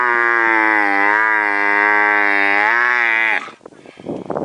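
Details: Camel letting out a sustained, droning bellow that holds a nearly level pitch for over three seconds, then breaks off into rough, gurgling, breathy noises.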